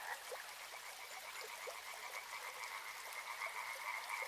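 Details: Softer, more distant frog chorus near a river, overlapping croaks under a wash of hissing, water-like noise, with scattered brief clicks.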